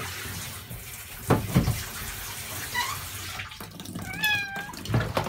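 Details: Norwegian Forest Cat kitten, 31 days old, during its first shampoo: a short faint meow, then a clearer, thin, high meow that slides downward, over running tap water and splashing handling noises.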